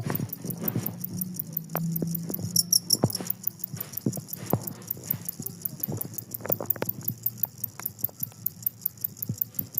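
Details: Two-spotted cricket (jangkrik kalung) keeps chirping through a noisy, busy setting: rapid, evenly spaced high-pitched pulses run steadily throughout, partly masked by low clattering knocks and background bustle.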